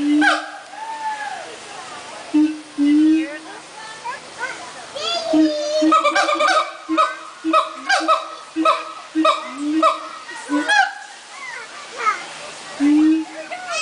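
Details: A siamang at the Central Florida Zoo sings its song of loud, hooting barks and rising whoops in a quickening series.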